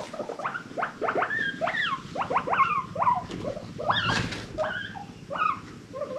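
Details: Pet guinea pigs from an adopted rescue herd wheeking happily: loud squeaky calls sweeping up then down, some rising steeply, about a dozen in quick succession with overlapping voices and small rustles between.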